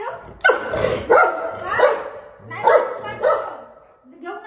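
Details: Buzo, a golden retriever kept as a family pet at home, gives about five loud, harsh barks in quick succession, each less than a second apart, while a woman talks in Marathi over and between them.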